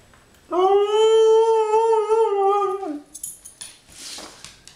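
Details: After being groomed, a female Siberian Husky sings indoors with a steady, harmonic-rich howl lasting about two and a half seconds that drops sharply at the end, followed by soft rustling and faint praise.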